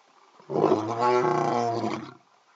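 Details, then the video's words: One of two male lions giving early morning calls: a deep, rough roar that swells and holds for about two seconds. "Lions Call"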